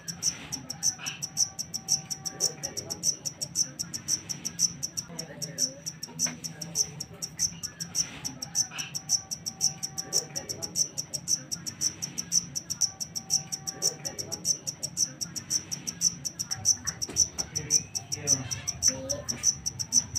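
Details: Jangkrik hitam, a wild-caught black cricket, chirping persistently for twenty seconds: shrill, crisp pulses near twice a second, steady and unbroken, against a quiet low rumble.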